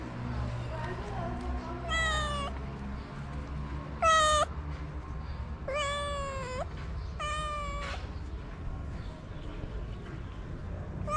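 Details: Abandoned cats in Morocco crying for food at a shelter, unwilling to share: four bright, clear meows spaced about one to two seconds apart, each falling slightly, over a low rumbling background.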